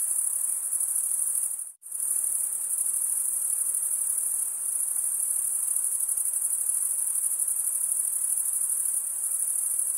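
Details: Stridulating male crickets give a constant high, shimmering trill that drops out for a split second early on, then resumes evenly; no birds, wind or voices.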